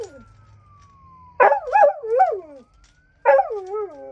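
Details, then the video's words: A domestic dog howling at night: wavering, yodel-like howls that rise and fall in pitch come in two bouts with a pause between, while a faint siren-like tone glides steadily in the background. "the Dog Doing Some Night Howling"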